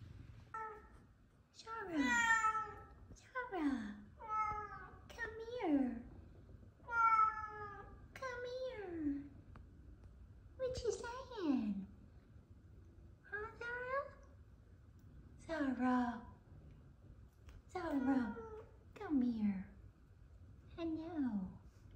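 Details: Indoors, F2 Savannah cats Kumba and Zara welcome their owner home from work with a run of loud, harmonic meows, each falling in pitch, repeated roughly every second or two, over a faint purring background and occasional human voice.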